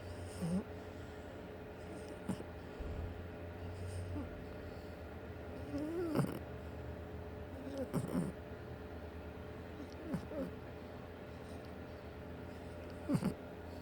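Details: A 6-month-old French Bulldog asleep on a chair at work at the end of the day snores softly, with low snorts and wheezy breaths every couple of seconds.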